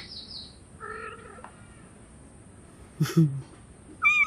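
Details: Hungry cat meowing for food: a short harmonic meow with a few tonal notes, followed by scattered clicks and knocks and a brief high-pitched mew at the end.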